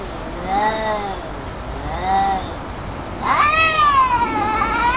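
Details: Two cats trading calls, as if conversing: two soft, short meows followed by a louder, longer, wavering meow that rises sharply then slowly falls and lifts again.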